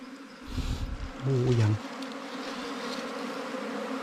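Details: Wild bees hum during a honey hunt for forest, ground and cavity-nesting bees: a steady low droning buzz runs throughout, broken midway by a loud burst of male speech.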